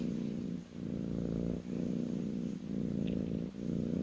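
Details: Kitten on a lap giving a deep, steady purr, low vibrating rumble with brief dips between breaths about once a second, quiet room.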